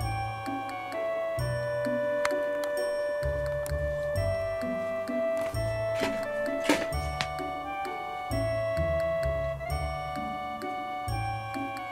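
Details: Bright chiming glockenspiel melody over a soft bass line plays throughout, with no animal sounds.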